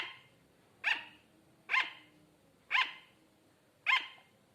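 A sugar glider gives short, sharp, high-pitched yaps, repeated roughly once a second like a tiny dog.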